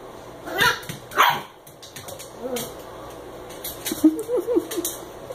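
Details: An eight-week-old American Eskimo puppy named Koda plays with a Chihuahua mix indoors, with sharp yips and barks early on, then softer growly yelps and whines, and a person talking to the dogs.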